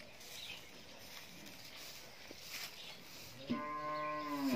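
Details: Nine-month-old Friesian heifer calf at a dairy farm in Pabna, Bangladesh, gives one loud, rich, harmonic moo that starts abruptly and holds steady to the end, after a quiet stretch with faint background noise.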